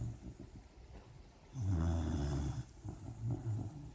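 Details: Sleeping puppy dreaming, with one long, low, rumbling snore in the middle of the clip and softer snuffling breaths around it.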